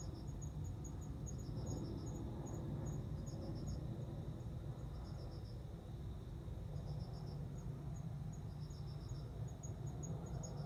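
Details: Male cricket on September 29 singing to attract a female for mating; short chirps of four or five quick pulses repeat about every two seconds over a thinner, faster high ticking and a steady low rumble.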